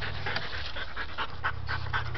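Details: Domestic dog panting while trying to reach a toy it cannot get to, as its owner urges it to find and get the toy. Quick rhythmic breathy puffs repeat steadily over a low indoor hum.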